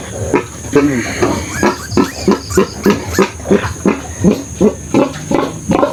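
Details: Sow and her remaining piglets after farrowing, seven of a litter of twelve dead; rapid rhythmic grunts come about three per second in a steady series, mixed with faint talking and a constant high-pitched hum.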